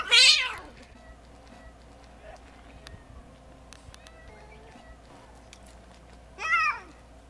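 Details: Cat on Japan's Cat Island giving a loud, high, falling meow at the start, then a second shorter wavering meow near the end, with a quiet outdoor background between.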